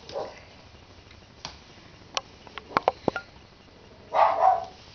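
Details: Ten-week-old puppies indoors giving a few short sharp yips and squeaks around the middle, with a louder whining burst near the end and a person's voice at the start.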